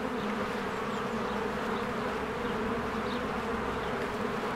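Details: Spring beehive with bees streaming in and out: an even, low droning hum fills every moment, with a couple of soft, brief bird chirps high above it.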